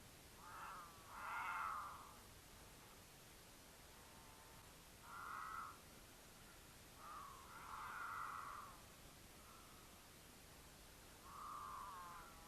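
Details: Mountain lion caterwaul from a courting pair in Utah, with the female in heat calling for the male: a series of short, separate yowls about every two to three seconds, some louder and quavering, over a hissy background.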